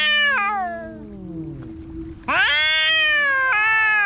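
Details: A cat fight with a falling, wavering yowl that fades into a low moan, then an abrupt, loud, strained yowl that holds steady to the end.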